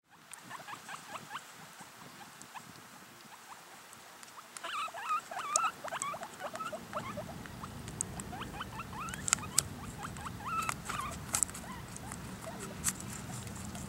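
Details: Guinea pigs eating apple squeak in quick, short chirps, possibly fighting over the food, over soft chewing and rustling.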